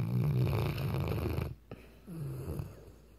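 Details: Weimaraner dog snoring: a loud, rough, low rumbling snore for about a second and a half, a brief pause, then a softer snorting breath with a slight rising edge.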